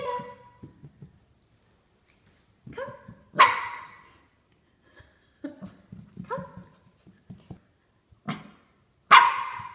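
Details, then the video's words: Corgi puppy going down stairs for the first time, giving short yips and a few louder sharp barks with pauses between, indoors in a small room. "Corgi First Time Down Stairs"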